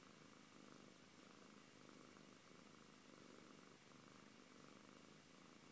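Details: Close purring from the Siberian cat Antey, a low buzzing rumble in regular breath-paced waves, uninterrupted throughout.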